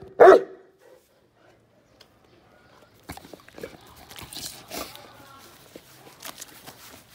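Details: Saint Bernard given a 1.8 kg buffalo heart as a treat barks once, a single loud short bark near the start, followed by quiet rustling, clicks and chewing-like noises.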